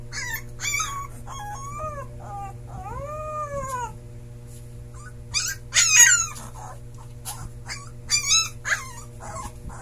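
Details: A Siberian Husky puppy howling for the first time gives thin, high howls that rise and fall, mixed with squeaky yips.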